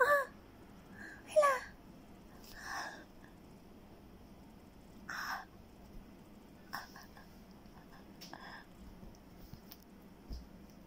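A Persian cat gives two short, harmonic meows with a bending pitch, then softer breathy sounds.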